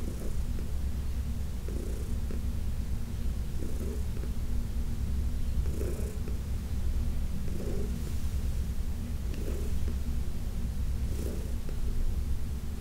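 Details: Heidi, a senior domestic cat of about 15 adopted from the Humane Society of New York, purring during a massage: a steady low rumbling purr with soft breathy swells roughly every two seconds.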